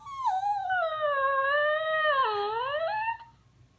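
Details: Bailey, a puppy, talking back to his mother after being told not to bother his older brother indoors: one long, harmonic, wavering howl-like whine lasting about three seconds, dipping lower mid-way, then rising again before fading, with a woman's voice around it.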